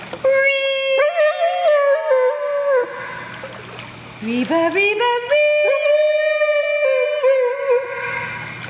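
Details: Siberian Husky singing while swimming at a private dog swimming pool in Spring, Texas: long wavering howl-like tones, a pause, then rising sliding notes and another sustained wavering howl, with splashing water in the background.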